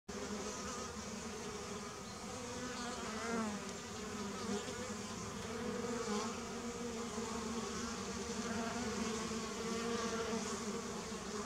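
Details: Many honey bees gathered at a watering place, recorded in 2019: a steady, dense droning hum with low layered tones that holds evenly throughout, with faint higher hiss above.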